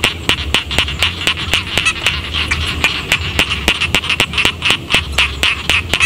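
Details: Village rice field frogs give a steady train of crisp, evenly spaced clicking croaks over a softer chorus of other callers, with a low droning hum in the background.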